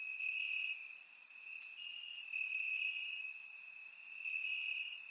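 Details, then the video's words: Crickets chirping in grass on a warm summer night in Bulgaria, recorded with a surround microphone: a steady high trill held almost without break, with faint higher ticking chirps from other crickets layered above. "Cricket Sounds - Crickets Chirping at Night"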